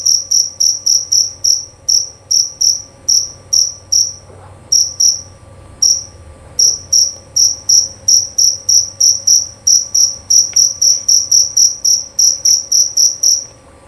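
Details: Male jerabang cricket, found in Indonesian rice fields, yards and gardens during cricket season, giving a long run of loud, pure chirps in bursts separated by short pauses, faster and denser in the second half.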